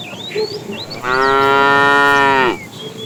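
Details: Tame cow roaming the road looking for food gives one long, steady, strongly harmonic moo lasting about a second and a half, with chirping birds in the background.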